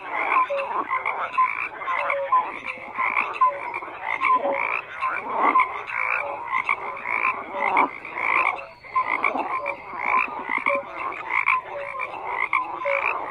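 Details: A steady chorus of many frogs croaking at once, rough pulsed croaks mixed with short clear tonal notes, swelling and dipping every second or two without pause.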